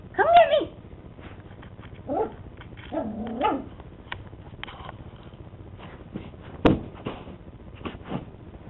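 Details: Two-month-old teacup poodle puppy playing, giving short high yips and whimpers in scattered bursts, with a sharp click and faint background noise between calls.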